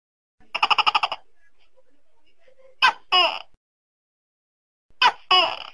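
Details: Tokay gecko opening with a quick rattling chuckle of about eight pulses, then two loud two-part calls, a sharp harsh first syllable and a longer, falling nasal second, on an otherwise quiet background.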